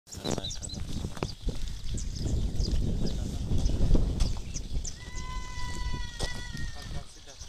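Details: Gulabi cross goats kept on a farm; a sustained, even-pitched harmonic bleat stands out near the end, over steady people talking and general farmyard noise.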